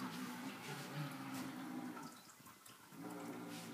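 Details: Water runs steadily in a small indoor room, like a tap or a flushing toilet, with a low constant hum and no clear animal voice.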